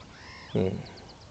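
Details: Meerkat pup Jabulani, born 29 December 2007 and just over 25 days old, utters one short loud harsh squawk with stacked harmonics, a brief bark-like burst amid quiet surroundings.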